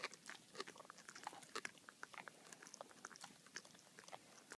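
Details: Baxter, a boxer dog, gnaws on his bully bone indoors: irregular crunchy clicks and wet snaps, several each second, with brief louder cracks now and then in a quiet small room.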